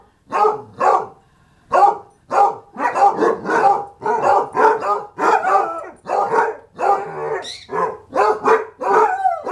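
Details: Dog vocalizing in a howling session, a rapid run of short harmonic barks and yips repeated roughly every half second, with a brief pause near two seconds and a higher squeal late on; a voice says beautiful.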